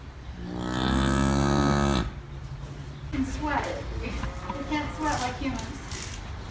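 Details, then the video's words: On a farm, a cow lets out a swelling, sustained low moo lasting about two seconds, then people chat quietly in the background. "COW SOUNDS FOR KIDS: COWS GO MOO"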